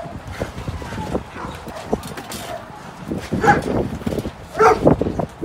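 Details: Rescued Samoyeds from a Shanghai slaughterhouse, ready for adoption, give two loud, ringing barks about a second apart late on, amid knocking, shuffling and human voices in a noisy indoor setting.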